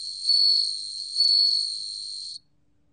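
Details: A bell cricket rings out in a 2020 National Institute of Biological Resources recording. Its continuous shrill tone rises in two loud pulses about a second apart, holds at a softer level, then stops abruptly, leaving silence.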